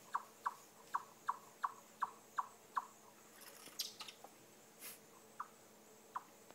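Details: A chipmunk makes an unexpected, strange chirping noise: sharp, high chips in a quick, steady series, a few every second.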